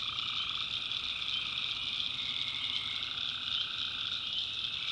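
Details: Tree frogs calling at night in a swamp in the North Carolina backwoods: a dense, unbroken chorus of layered high trilling, with a mid-pitched band that fades in after the first second and runs steadily on.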